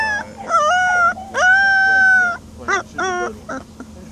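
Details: An Alaskan Malamute puppy about a week and a half old howls in high, wavering notes, one long drawn-out cry followed by short yips; the owner thinks the puppies are hungry.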